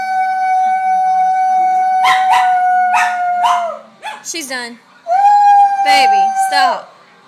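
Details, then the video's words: Loud howling by a male dog: a long steady tonal howl, then short broken yelping notes sliding downward, then another sustained howl ending in a falling break. "Dog howling"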